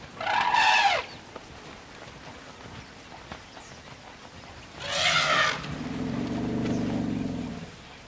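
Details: A tuskless African elephant cow, frustrated as a lion pride slips away into long grass, gives two loud, brassy trumpet blasts about four seconds apart, the second followed by a low rumbling drone.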